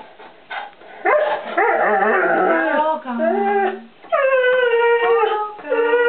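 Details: One-year-old English Setter puppy calling out for treats in a kitchen; a woman talks over early yips and whines, then long, steady, tonal howls follow.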